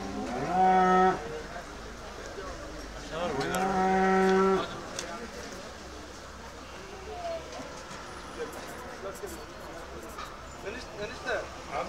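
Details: Cow mooing: two long, deep, drawn-out moos with rich stacked harmonics, each lasting over a second, a few seconds apart, then a quieter stretch of low background noise with faint scattered sounds.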